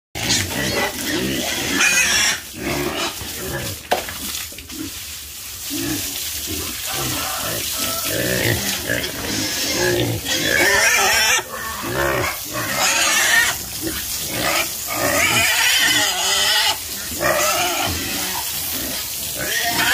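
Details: Farm pigs grunting and squealing in a dense, overlapping chorus, with harsh noisy bursts and brief tonal squeals throughout, and human voices mixed in among the animals.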